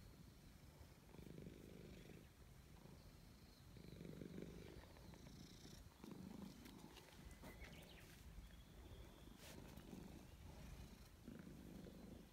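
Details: Loud, happy purring from a gray stray cat as it is stroked; the low rumble comes in rhythmic surges roughly every second or so, alongside soft rustles and contact sounds.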